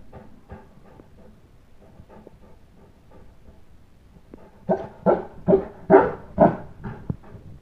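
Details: Bolander, a St. Bernard upset that the kids went outside to play without him, gives a string of quiet, muffled barks, then about five loud barks in rapid succession.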